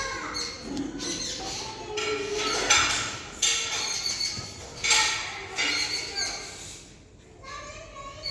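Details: Kali, a cat, chattering at birds: short bursts of high, crackling chirps come in quick uneven runs, with brief pauses between clusters, then a quieter gap before a final burst.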